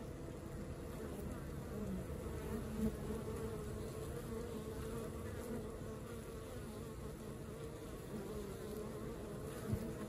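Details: Honey bees of a busy colony making a steady, deep, rumbling drone, with a few soft bumps and a small knock right at the end.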